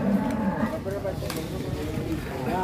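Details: Enraged cow, described as female, on the loose at Ambarawa market, where it knocked down a motorbike: a short, low, hoarse moo at the start, then crowd chatter and shouts dominate.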